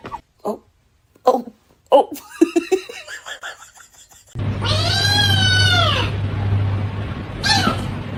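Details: Kitten crying: a few short clipped sounds, then a long drawn-out arched meow that rises and falls over about two seconds, followed by a brief higher squeak, with a low steady hum underneath.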